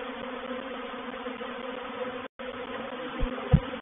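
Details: Swarming honey bees settling into a swarm trap at Painted Peacock Manor on 04/07/21; a thick droning buzz, a momentary cut near the middle, then two louder close thumps toward the end.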